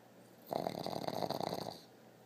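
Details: Dog named Peggy snoring while her eyes stay open: a single raspy, vibrating snore of about one and a quarter seconds, steady buzzing flutter throughout, quiet room before and after.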